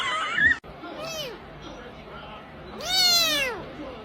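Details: Kitten meowing indoors: a short high squeak at the start, then a clear rising-and-falling meow near the end with bright harmonics; faint background hum between calls.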